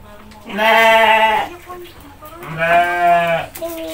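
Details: Goat being fed by a small child and his mother in Indonesia, giving two long, loud, harmonic bleats of about one second each, with a brief burst of clapping and soft talk between them.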